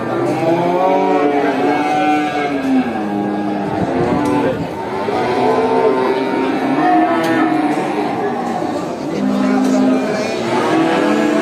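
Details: Many cows at a traditional animal market mooing in overlapping calls, deep drawn-out lows with bending pitch, one after another with hardly a pause, over busy crowd noise and occasional clanks.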